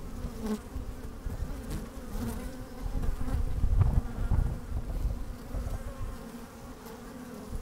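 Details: Honey bees moving about inside an opened hive on a sunny, slightly windy day, microphone lowered into the hive; deep rumbling hum dominated by low wind-like noise that swells midway, with faint buzzing tones above.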